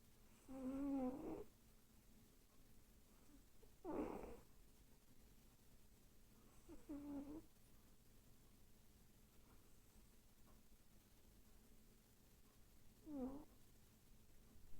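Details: Sleeping female pet cat, twitching and vocal in her sleep, apparently dreaming. Four soft, breathy, wavering moan-like sounds spaced roughly three seconds apart, with quiet snoring breaths between them in a small room.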